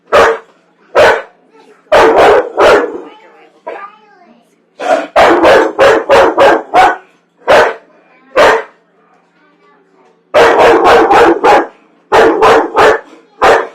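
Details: Household dog that hates popcorn, on a Friday night, sounding off with fast runs of harsh barks, several quick clusters and isolated barks, with faint voices in the gaps between bursts.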